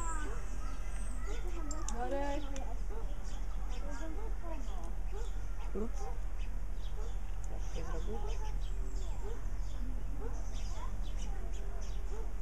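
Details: Chattering meerkats, Suricata suricatta: dense overlapping squeaky chirps and short rising peeps, busiest in the first few seconds, then spaced out, with a constant low-pitched hum behind.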